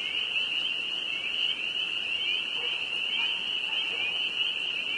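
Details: Many spring peepers calling together in northern Vermont, spring evening at the height of peeping, their high piping notes blending into an unbroken shrill drone.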